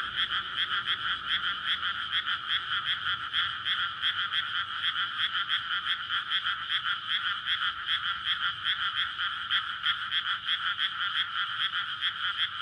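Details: Many frogs croaking together in courtship at night in a flooded May rice field amid housing, recorded with a SONY PCM-D100. Steady, rapidly repeated rattling croaks overlap into an unbroken wall of sound.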